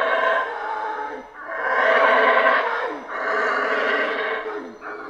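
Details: Rainforest howler monkeys in Central America roar in three long, rough, surging waves, each breaking off briefly before the next, with a hoarse, growling quality throughout.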